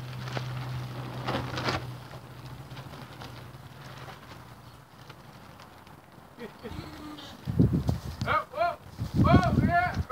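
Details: Newborn Barbados Mouflon cross lamb at Gray Sheep Ranch: after a low steady hum and rustling, a quick run of four short, wavering, nasal bleats comes near the end, each rising then falling, close together.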